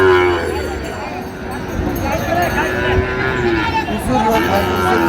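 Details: Low lowing from Sahiwal breed bull calves bought for Chattogram, a deep moo at the start and again at the end, with men talking and market noise between.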